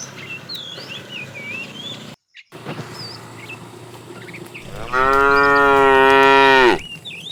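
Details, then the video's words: A fat tame cow in a herded group, driven along in the afternoon, calling to a female: one long harmonic moo of about two seconds near the end, after a quiet stretch full of chirping birds. "The funny sound of a fat cow calling the female"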